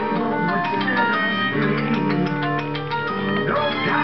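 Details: Only organ-like keyboard music plays, with no animal sound heard.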